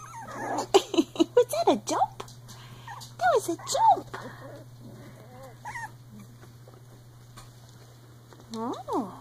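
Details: Three-week-old Icelandic Sheepdog puppies playing: a quick burst of rapid squeaky yips in the first two seconds, then scattered arching whines separated by quieter gaps, with faint talking in the room.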